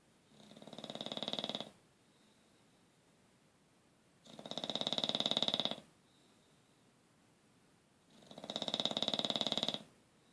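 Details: Dog snoring indoors, with rasping, breathy snores that swell and fade about every four seconds and quiet pauses between them.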